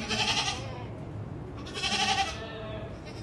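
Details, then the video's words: Black Teddy goats, about four years old, giving two wavering bleats with bright harmonics, each lasting around half a second, the second beginning near two seconds, over low background rumble. "Beautiful Black Teddy Goats | Teddy Bakra"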